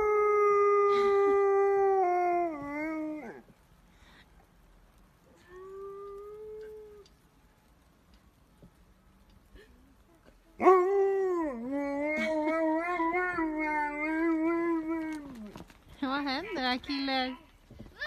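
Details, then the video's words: An Alaskan Malamute in Sweden "sings", howling in long, wavering tones that rise and fall like a drawn-out song. "ALASKAN MALAMUTE 🐶 Singing 🎶"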